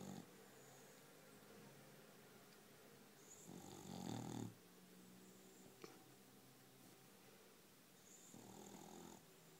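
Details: A sleeping dog snoring indoors: a few soft, rough breaths separated by long quiet gaps, one louder rasping snore of about a second near the middle, with faint room hiss throughout.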